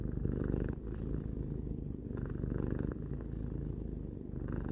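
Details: Close, continuous purr of Tarou, a domestic cat of three years, a low vibrating drone pulsing with inhale and exhale about once a second or two.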